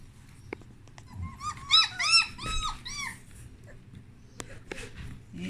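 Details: Puppies exploring a whelping box with freshly changed blankets, indoors; a burst of high, arching whimpers and squeaks around one to two kilohertz climbing into harmonics, several overlapping in quick succession, then scattered clicks and soft knocks.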